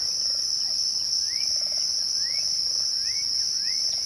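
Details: Crickets at twilight keep up a steady, unbroken high-pitched trill, with a fainter, higher-pitched ringing band above it. Birds add short rising chirps in the background, about one every second.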